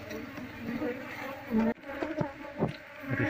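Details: Short stretch of a wild Asian honey bee swarm humming steadily as its combs are cleared out to locate the queen, with a man speaking and a sharp handling noise midway.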